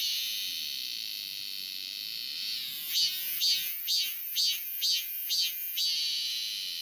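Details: Robust cicada, back again this summer: a steady, hissing high buzz for almost three seconds, then seven loud pulsed bursts repeated about twice a second over the continuing drone.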